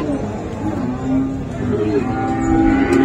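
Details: Friesian and crossbred bulls and calves at Raniganj livestock market, Dinajpur, 7 November 2024: quieter, short overlapping lows from several animals, partly buried in a busy murmur of the market.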